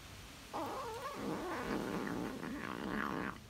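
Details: A tabby cat (Felis catus) makes a wavering, murmuring hum while eating cheese.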